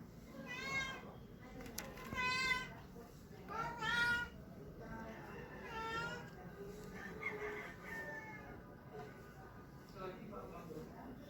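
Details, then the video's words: Male Persian cat calling while seeking a mate, giving strange, funny drawn-out meows: four strong wavering wails in the first six seconds, then fainter, lower moans trailing off amid low room noise. "A male persian cat making wierd sounds"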